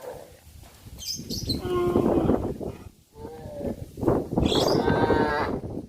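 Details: Cows travelling the village road to their pen in the afternoon; several short overlapping moos amid busy, noisy background clatter.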